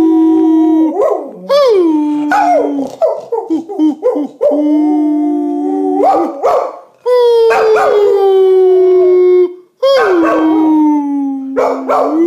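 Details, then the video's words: Baxter, a pet springer spaniel, howls during a shared howling session with a person: long, rich wavering howls that swoop upward then slide down and hold steady, broken by short yelping notes and brief pauses. "Baxter the springer loves to howl"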